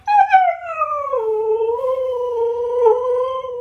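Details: Husky dog 'talking' in a drawn-out, wavering howl that opens slightly higher, slides down within the first second and then holds a steady, gently undulating tone with rich harmonics until the end.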